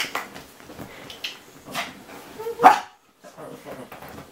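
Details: Pet dog at home barking as if telling the gerbils it is bedtime. Several short, muffled vocal bursts build to one loud, sharp bark, followed by a brief silence and low murmuring.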